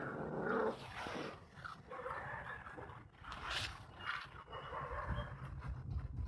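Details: Dog giving uneven whimpering and growling sounds in short broken bursts, louder at the start and again toward the end, over a constant low background rumble.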